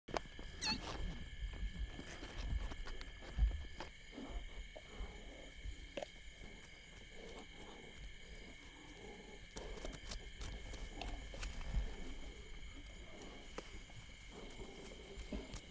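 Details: At night in Kruger National Park, lions of the Crocodile Bridge Pride kill and feed on a blue wildebeest, growling and rumbling low and deep over a steady high hum of night insects.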